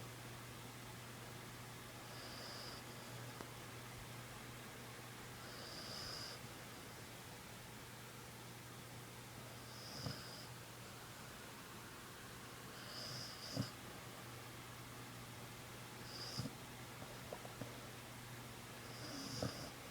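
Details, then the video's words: A sleeping puppy snores softly, each breathy, hissing snore returning about every three to four seconds, against a steady low electrical hum and faint room noise. "My Puppy snores"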